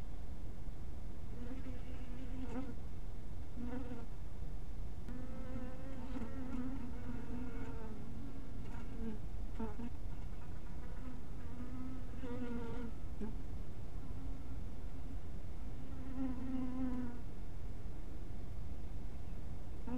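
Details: Honey bees around a small hive house at dusk, buzzing in repeated bursts as individual bees fly near, each a low humming drone with bright overtones that bends slightly in pitch, separated by quieter stretches of a steady background hum.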